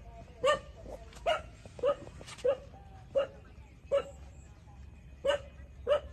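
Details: Twenty-seven-day-old puppies nursing from their mother give sharp, brief squeaky yelps at a steady pace, roughly one every two-thirds of a second, over a quiet low hum.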